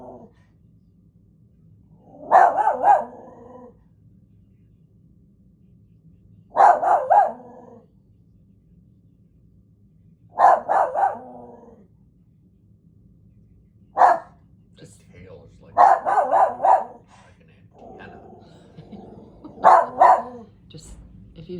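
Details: Dog barking indoors in bursts of two to four sharp, harmonic barks spaced a few seconds apart, with low background hum between bursts.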